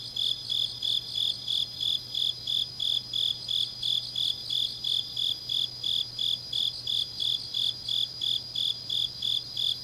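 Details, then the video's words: Grass insects singing on a deep autumn night in Changnyeong, South Gyeongsang, Korea: steady high chirps pulsing about three times a second in a regular, continuous rhythm, with a faint low hum underneath. "깊은밤 가을 풀벌레 소리"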